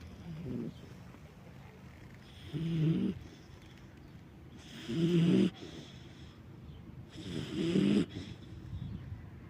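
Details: Nargiz, a sleeping Central Asian Shepherd Dog (alabai), snores in low rumbling breaths, four loud drawn-out snorts arriving roughly every two and a half seconds, with quiet pauses between.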